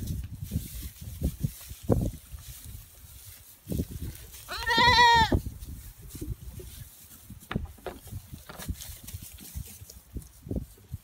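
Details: Pygmy goat, a female in a petting zoo pen, playing with sheep by jumping on their backs; a single loud, quavering bleat mid-clip, surrounded by irregular knocks, rustles and low thuds of animals moving.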